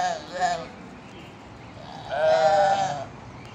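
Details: Goats playing and relaxing together; two bleats, a short one near the start and a longer, steady, nasal bleat about two seconds later, over quiet background noise.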